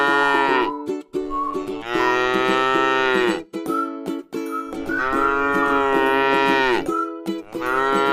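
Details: Tame cow grazing in a rice field, mooing in long, drawn-out calls that swell and fade, several overlapping over about eight seconds, set against steady sustained musical tones.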